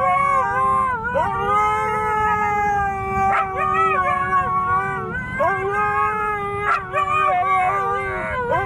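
Siberian Huskies howl together in long, wavering, overlapping tones that slide up and down.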